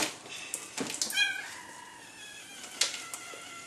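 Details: Newborn red female Labrador Retriever puppy, last of a litter of eight, at her birth indoors; one short, harmonic squeal near the start, with clicks, rustling and handling noise around it.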